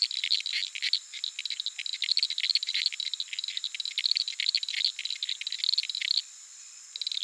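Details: Uruguay harlequin frogs calling after dark from a small puddle in the flooded Pantanal savannah, Sony PCM A10 with Lom mikroUsi microphones; dense rattling clicks in quick succession for six seconds, then a pause with only the continuous high insect hum.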